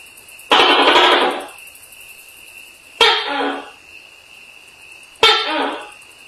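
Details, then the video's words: Tokay gecko calling at night: three loud, harsh, croaking bursts spaced about two and a half seconds apart, each fading quickly, over a steady high-pitched tone in the background. "Tokay Gecko Call at Night"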